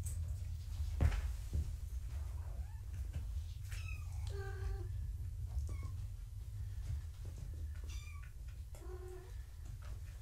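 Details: Gaia's foster kittens during an indoor weigh-in on a live foster cam: several short, tonal mews with rising and falling arcs, spaced a few seconds apart, over low room rumble and occasional clicks and handling noises.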